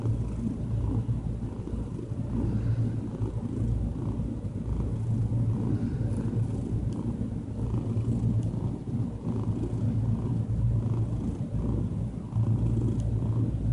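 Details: Diana, a calm domestic cat, purring while relaxed; a steady low rumbling purr runs without a break through the whole stretch, its soft pulsing rhythm evenly sustained, with no other clear sounds.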